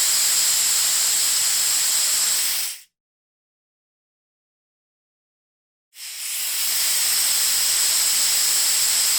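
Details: Argentine Patagonian lancehead hissing: a long, steady, sharp exhalation, a clean silent gap of roughly three seconds, then another sustained hiss of equal strength.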